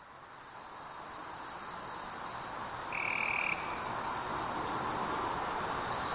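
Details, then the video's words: Crickets on a warm summer evening among fireflies: a steady, high, unbroken trill that drops out briefly midway and grows slightly louder. A short, separate lower buzzy note sounds once near the middle. "Fireflies and Crickets - Calming sounds of the night"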